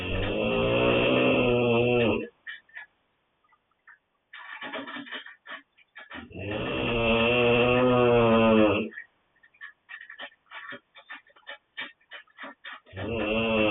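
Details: Coman, a dog, snoring: long raspy rattling breaths about two seconds each at regular intervals, separated by quiet gaps filled with soft clicks and snuffles.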